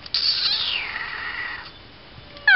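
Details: Tiny kitten Ira lets out a long, drawn-out meow that starts high and slides steadily downward for about a second and a half, then fades; a brief sharp sound follows at the end.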